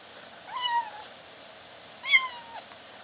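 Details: Kitten kept in a cage while feeding, attempting to meow as it eats; two brief harmonic meows about one and a half seconds apart, each rising then sliding down.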